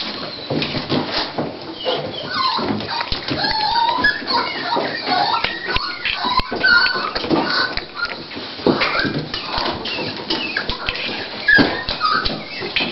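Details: Dolly, a female Toy Pinscher indoors at the start of giving birth, getting ready to whelp her puppies: thin, high whimpers that rise and fall in scattered short bursts, over clicks, rustling and quiet French voices.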